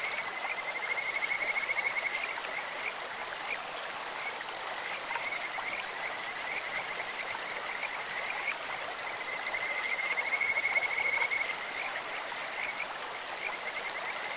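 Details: Stream-dwelling Kajika frogs deliver two clear bouts of high, rapidly pulsed trilling, one early and one near the eleventh second, with fainter notes between, over continuous rushing water.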